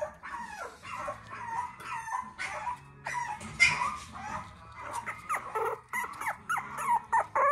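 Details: A Tiny Poodle gives quavering whines and sharp little yelps in uneven bursts. The high notes bend up and down, separated by brief pauses, over low indoor rumble.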